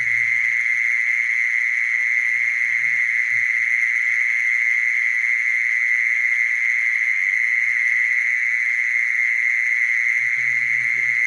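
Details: Unwavering high trill of a mole cricket, droning on at a single pitch, with brief soft low-frequency sounds near the start and end.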